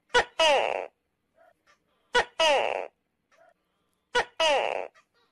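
A tokay gecko gives its loud two-part "to-kay" call, repeated about every two seconds.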